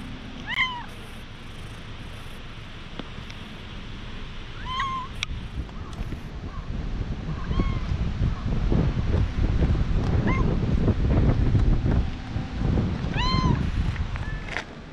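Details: Stray cat being patted, filmed on a GoPro: about five short, rising-then-falling meows spaced roughly every three seconds over a steady low rumble and thumping from the patting.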